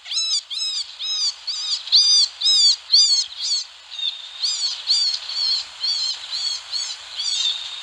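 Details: Screams from a wild baby rabbit come as a steady run of shrill, rising-then-falling 'reee' squeals, about two each second, nasal and harmonic, with only faint outdoor ambience behind.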